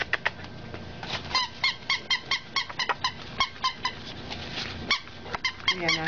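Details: Five-week-old pug puppies playing in a bedroom, tired; a rapid series of short, high squeaks and yelps, many in quick succession with brief gaps, over a steady background hiss.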